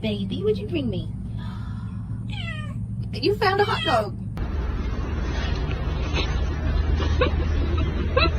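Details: House cat from a funny cat fails clip producing a few quick meows over a steady low hum, followed by a noisier passage with faint squeaks and background chatter.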